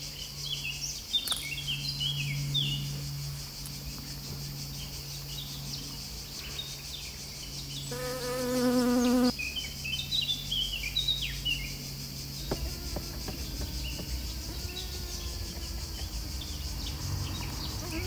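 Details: Western honey bee (Apis mellifera) pollinating: a low, droning wing buzz that briefly grows louder as it passes close, with birds chirping in the background.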